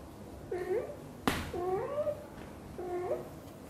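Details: Mother cat Xaxa, a British Shorthair, chatters nonstop while grooming her kitten Piano indoors: three short rising meows in quick succession, the middle one longer and drawn out, with a sharp knock just before it.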